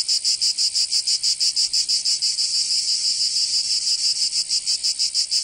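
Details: In Provence, southern France, summer cicadas produce a high, harsh buzz broken into fast regular pulses, about three per second, sustained without pause.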